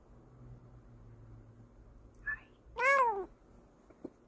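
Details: Bengal cat named Kokoa makes a soft brief chirp, then a louder drawn-out meow that rises and falls, against faint low indoor hum and a small click at the end.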